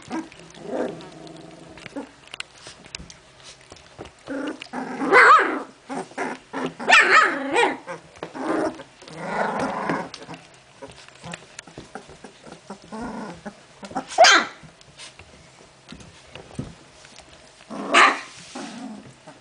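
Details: Puppies of Genny, filmed 14 June 2013, barking in sharp high yaps mixed with rasping growls, bursts coming every second or two with quieter scuffling between.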